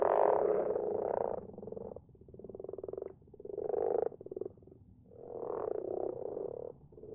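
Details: Several common frogs croaking at night in a garden pond, a group that grows each year; low purring croaks overlap in long rolling bursts of one to two seconds, rising and falling in loudness with short lulls between.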